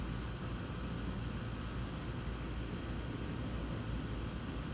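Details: During a lightning storm, crickets keep up a shrill, regular chirping at a quick even pace, over a continuous low background rumble.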